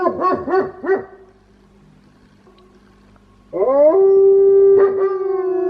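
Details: Wolfdog raised as a household pet gives several short, rising yips, falls silent for a moment, then swoops upward into a strong, steady howl that holds at one pitch. Its voice has an unusual, quirky character.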